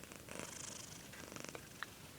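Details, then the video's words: Domestic cat snoring while awake indoors, a soft rapid pulsing rasp like a purr, steady for about two seconds with a faint click near the end. "snoring cat"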